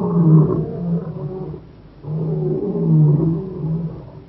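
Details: Low, heavy lion vocalisation from Kruger National Park's Shingwedzi area: two drawn-out, deep moaning roars separated by a quieter dip, dominated by rumbling bass tones.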